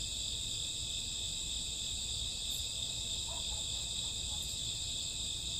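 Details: Crickets and grassworms on a summer or autumn night, a constant high, ringing insect chorus, with a couple of faint brief chirps from another caller near the middle.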